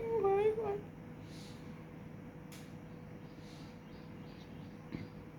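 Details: A kitten with its mother gives one short, wavering meow at the start, then near quiet with faint background noise and a soft human voice nearby.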